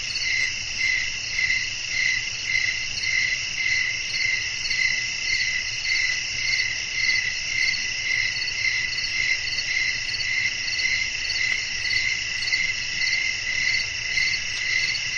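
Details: Crickets singing at night: a high, steady trill with evenly spaced pulses, about two each second, running without pause over a faint low background hum.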